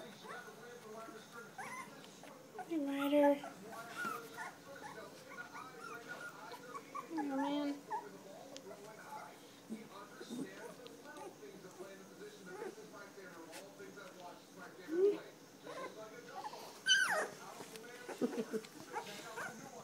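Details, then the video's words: Standard poodle puppies, three weeks old, from a Star and Levi litter, give a long run of soft whines and squeaky whimpers, some rising and falling, one sharp high yip late on, over a busy background murmur. "Standard poodle puppies - 3 weeks old"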